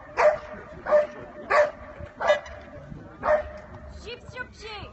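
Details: Jypsie des Chevaliers de Maline, a dog in show Ring 1 at St Avold, barks five sharp, short times at a steady pace of about one every 0.7 seconds over a constant low hum, then gives several thin, rising, whiny yelps.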